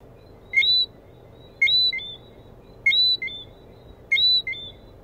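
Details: Lesser Antillean whistling frog (Eleutherodactylus johnstonei) calling: four crisp bursts of high, whistled chirps, each a quick pair of notes with the second higher and sliding, repeated roughly every 1.2 seconds over a faint low background hum.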